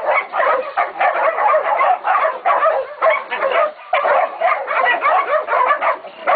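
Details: Several pups, Catahoula and Black Mouth Cur, 11 to 16 weeks old, bay a pig at Golden Creek Catahoulas Kennel; rapid overlapping high barks and yips pour out almost without pause, a short lull near the middle.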